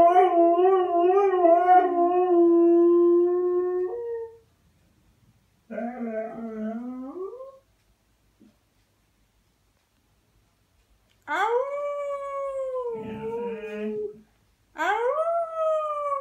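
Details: Pinto the dog giving a series of howls separated by silent gaps: a long wavering howl, a shorter rising one, then after a long pause a sliding howl and a final brief rising cry.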